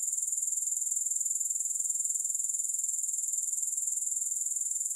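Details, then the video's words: Steady shrill insect chorus credited to grasshoppers: a high, tightly pulsed trill at a constant level, its beats coming in a quick regular rhythm throughout, no music or other background noise. "3 Hours of Grass Hopper Sounds"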